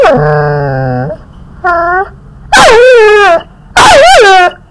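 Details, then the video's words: Puppy being teased at home, giving a series of drawn-out, tonal whines and yelps: a long steady whine, a short one, then two loud wavering cries that bend up and down, with a quiet pause between each. "PUPPY CAM : Let's tease him"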